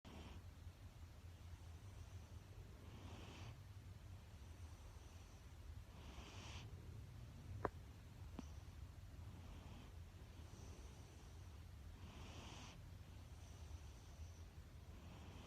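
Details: Siberian Husky named Kuu sleeping indoors and snoring: soft, breathy, rasping snores, roughly every three seconds, over a low steady room hum, with two brief sharp clicks near the middle.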